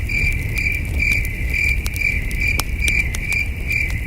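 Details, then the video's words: Crickets chirping at night at a starry camping site beside a campfire: a high, ringing chirp repeated about twice a second in a steady pulse, with sharp crackling pops from the fire and a low rumbling background. "Soothing Cricket Sounds"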